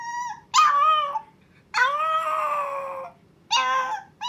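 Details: Chihuahua puppy Milk's first howl, calling for her owner: a short tail-end whine, then a rising-falling wail and a longer steady howl over a second long, with another starting at the end.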